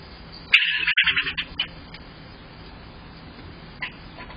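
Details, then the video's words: Squirrel reacting from outside to an indoor playback of squirrels chattering at each other: a sudden harsh, rapid chattering burst of about a second with quick pulsed notes, then quiet, with a brief faint squeak near the end. "Squirrel Video - Funny thing while editing a video."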